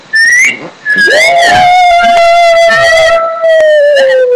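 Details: Pet Shih Tzu howling at home: a short higher whistled note, then a long steady, slightly wavering tone that sags gently toward its end and holds for about three seconds.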